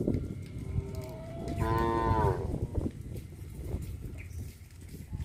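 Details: Traditional livestock cattle on village streets: a cow gives one loud, rising, drawn-out moo lasting under a second, amid rumbling background noise and other faint lowing.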